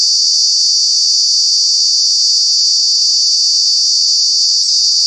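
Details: Summer cicada call at Kanha National Park: a piercing, even, high-pitched buzz sustained for the whole clip with no breaks.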